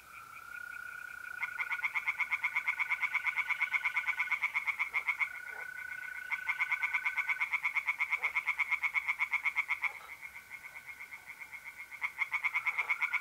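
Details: Tree frogs chorusing in a North-East Italian pond on a mid-April night: long runs of fast, evenly spaced croaks with short pauses, layered over the unbroken high trilling of mole crickets.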